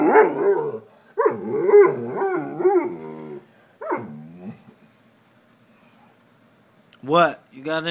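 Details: Female house dog making talk-like sounds: a run of moaning, up-and-down yowls in quick succession, a single drawn-out groan, a quiet pause, then two sharp rising yelps at the end.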